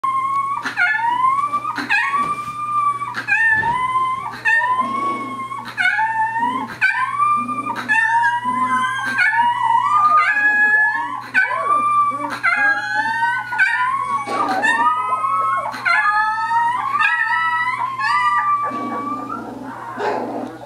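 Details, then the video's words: Several dogs howling together indoors in a small room, overlapping wavering howls rising and falling in long slides, dense chorus with yips and whimpers throughout, fading near the end. "Group Howling!"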